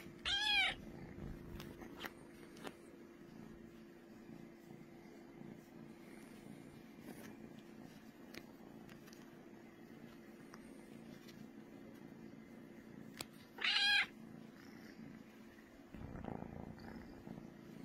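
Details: Brooklyn, a cat purring so loud, gives an even low rumbling purr for the whole stretch, interrupted by two brief high meow-like calls, one at the start and one near the end, plus scattered clicks.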